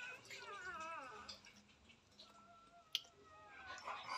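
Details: Newborn puppies with their mother dog indoors in a small room: thin, wavering high-pitched whines sliding up and down in quick succession for about a second, then faint scattered squeaks over quiet background.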